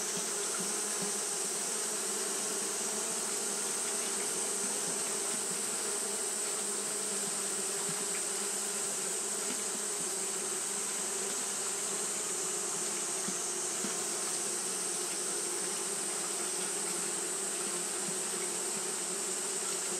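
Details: Japanese honey bees fanning throughout a hot day produce a long, even hum of many wings, steady and pulseless, with a strong low band and high hissy texture.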